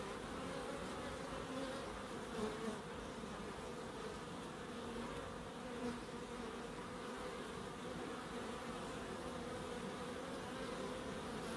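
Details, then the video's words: Several bees in a small urban wildlife garden with a pond and bird boxes, Crookes: continuous overlapping buzzing drone, wings humming low and steady, with a few brief louder passes as insects fly near. "1hr of Relaxing Bees"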